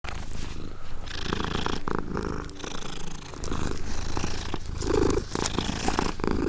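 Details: Domestic cat purring with some licking, heard as a steady low rumble with soft wet clicks and brief rustles throughout.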